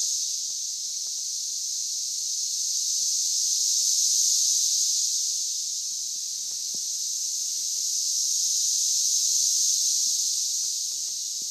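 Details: A dense chorus of 17-year periodical cicadas in Oklahoma on 6/9/13, a steady, high, hissing drone like TV static or ocean waves that slowly swells and fades; extremely loud with enormous numbers, near a low-lying area.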